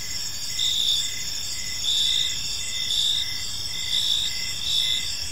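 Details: Crickets in a calm park at evening, a high, ringing chirp pulsing about once a second, with several overlapping callers and faint low background noise.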